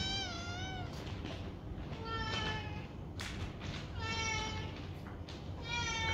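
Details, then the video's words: Playing foster kittens from two different litters tumbling in a banana bed; four or five rising-and-falling high meows follow one another a second or two apart, with light knocks and rustling between them. "Foster Kittens Play In Their New Banana Bed!"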